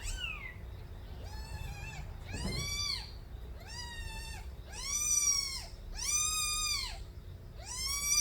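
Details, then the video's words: Young kittens of the street cat Nabi crying: a run of loud, drawn-out, arched meows with rich harmonics, repeated roughly every second, one cut by a brief rustle, over steady low room hum. "새끼고양이들의 우렁찬 울음소리"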